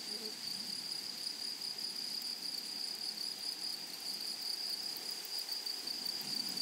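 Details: A steady, high, metallic insect drone comes from grasshoppers in a blooming prairie meadow. It holds constant throughout, over a faint, hissy background.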